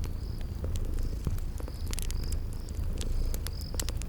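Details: Low, throbbing purr of sleeping kitties under a crackling fire, with insect chirps recurring about every second and frequent sharp pops.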